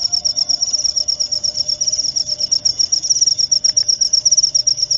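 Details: Cricket chirping, used as a sound to drive away rats; a high, shrill pulsed trill repeating rapidly and steadily, with a faint low tone underneath.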